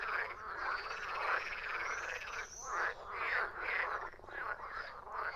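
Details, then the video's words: Many frogs croaking together in a dense chorus of overlapping, rasping, pulsed croaks that swell and fade in uneven waves, with a thin whistle-like tone running above them. "Frogs croaking"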